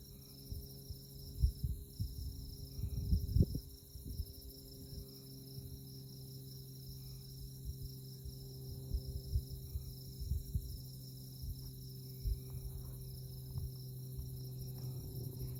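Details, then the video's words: Insects calling at night in Kansas tallgrass prairie, Konza Prairie near Manhattan, by moonlight: a high, rhythmic pulsed chirping continues steadily, with low humming and occasional thuds underneath. "Insect Chirping Sounds"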